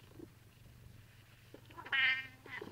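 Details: Domestic cat sitting in its owner's chair, answering while being asked to get out; a short soft murmur, then one clear mid-pitched meow with rich harmonics, quiet room.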